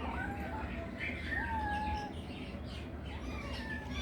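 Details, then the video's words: Kittens playing with each other give thin, high mews that bend down in pitch, one drawn out longer in the middle, followed by shorter faint mews, over a steady low hum. "kittenes meowing sound"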